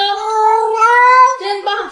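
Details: Yuanbao, a pet cat, gives a long drawn-out meow that holds a steady, slightly rising tone for over a second, then drops off into a shorter, broken second note, with no other clear sounds.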